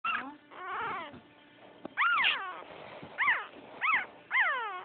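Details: Female French Poodle puppy, the chubbiest of the second litter, pouting with high, arching whimpers that rise and fall, in several drawn-out bursts separated by short pauses.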